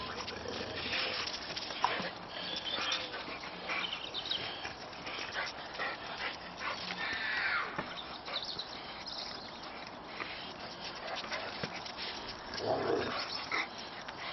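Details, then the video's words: Boxers romping in snow in a garden, two of them joined by a neighbour's Boxer named Clyde in play fighting; steady scuffle of panting, rough huffs and brief whimpering growls over broadband rustling, with a louder grunting burst near the end. "Boxers play fighting"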